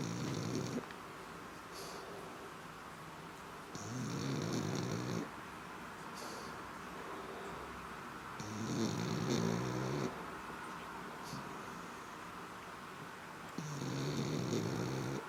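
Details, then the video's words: Steady snoring from a black pug: four rattling, low-pitched snore breaths of about one to one and a half seconds, recurring roughly every four to five seconds, each carrying a whooshing airy hiss, quiet exhalations between. "Schwarzer Mops schnarcht"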